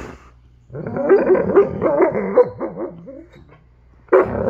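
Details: Malamute puppies Dutton and River talking: a long wavering, warbling growl-howl with rapid pitch wobbles lasting about two seconds, dropping into lower groans, then a sudden fresh bark-howl at the end.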